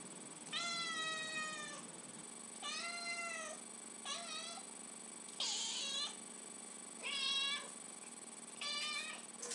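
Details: Domestic cat begging for tuna after the can opener sounds, very vocal indoors: six loud, clear meows, each about a second long with a slight rise and fall, repeated roughly every one and a half seconds.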